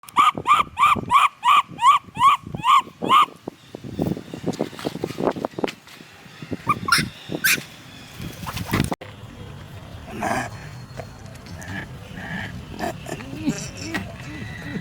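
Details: Lynx calling to its elder sister, who is walking far away with its mother: about eight clear, high tonal calls in three seconds, then rustling, thuds, clapping and voices.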